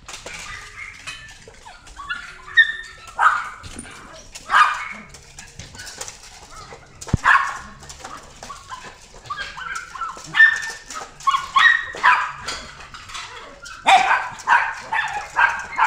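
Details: Female Hokkaido dog with a red coat, born 26 February 2018, at a pet shop, giving short yelping barks and whimpers in scattered bursts with quiet pauses between, some bursts clustered near the end.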